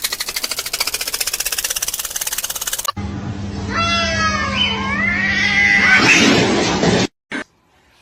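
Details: Domestic cat meowing in a funny cat compilation: a few drawn-out, wavering meows that bend up and down, after a stretch of rapid buzzy pulsing music, with people laughing and talking around it.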